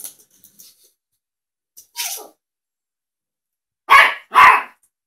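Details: A teacup Yorkshire Terrier barks at a cat video playing on a laptop, looking around and over the screen for the cat, giving two sharp, high barks in quick succession after a softer yelp.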